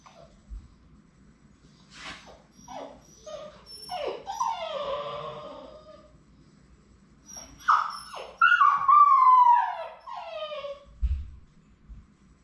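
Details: Several Labrador Retriever puppies whimpering indoors on their last day before going to new homes; high, wavering falling whines in bursts, louder and more drawn out near the end, with a person speaking briefly and a low hum beneath.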